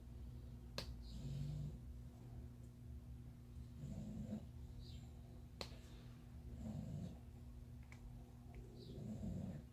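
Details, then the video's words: Female English bulldog snoring; her flat face makes breathing hard, so she sometimes snores even while awake. Low rumbling snores rise and fall every few seconds beneath occasional sharp clicks and light tapping. "I don't know if you can hear my dog she's snoring"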